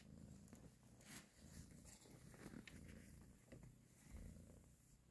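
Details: Domestic cat mother purring while nursing and caressing her kittens; low rumbling purr with broken pulses, overlaid by scattered clicks and rustling.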